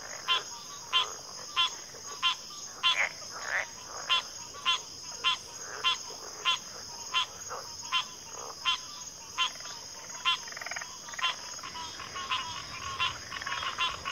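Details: Backwater frog chorus of pig frogs and water frogs, with clipped rasping notes repeated at a fairly steady pace, roughly one and a half per second, under a constant shrill insect hum.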